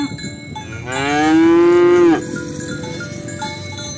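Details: Cow being herded to the rice field, calling friends to the pen: a single loud, steady moo lasting about a second, rich in harmonics, with clanking cowbells before and after.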